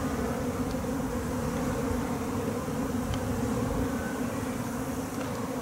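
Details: Japanese honey bees from an overwintered home colony during their second swarm and capture into a hive: a steady, dense humming drone with two low bands, holding evenly throughout over faint low rumble.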